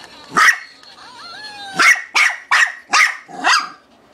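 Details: A female Shih Tzu named Sha sha barks at a toy she fears while playing. One sharp bark, a brief squeaky toy whine, then four quick high-pitched barks in a row.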